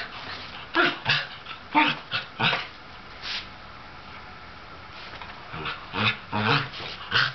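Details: Sable Shetland sheepdog, the older of two pets, playfully worked up and eager to engage a younger ginger tabby cat, lets out sharp clipped barks and growly yaps in two bursts separated by a quiet pause.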